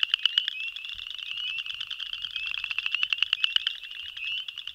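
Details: Male boreal chorus frog (Pseudacris maculata) giving its mating advertisement call: rapid rising trills of clicking pulses, repeated, with spring peepers also calling in the background.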